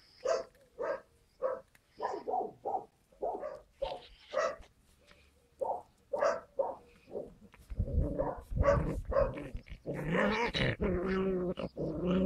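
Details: Skye Terrier puppies, 5 June 2016. Sharp, high yapping barks come in a steady string, then give way to a louder, overlapping jumble of yelps and whining cries in the final seconds.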